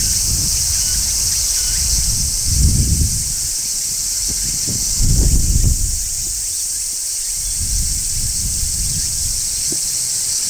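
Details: Midsummer song of a large brown cicada on a tree, a continuous hissing high-pitched drone held throughout, over bursts of low rustling as someone tries to catch it.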